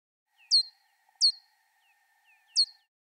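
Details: A bat's ultrasonic calls, picked up in a garden and made audible by a zero-crossing bat detector, come through as brief, sharply falling chirps at irregular intervals over a faint steady electronic tone.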